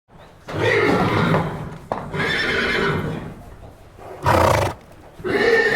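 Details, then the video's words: Horse neighing in loud, harsh bursts: a long whinny with wavering tones, another after a short break, a brief sharp blast near the end and a fresh whinny starting at the close. "Som do cavalo relinchando"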